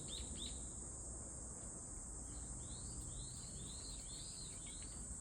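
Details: A cicada gives a string of bright rising-and-falling chirps, at first scattered, then evenly spaced for a few seconds, above an unbroken high-pitched drone and low background rumble.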